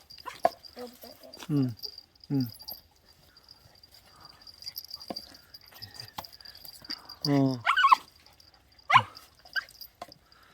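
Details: Puppy named Gureum, weaned and raised two months in an apartment, then given to an acquaintance, reunited with its former family one month later; several short falling whines and yelps break out between people talking, with a steady high hum throughout.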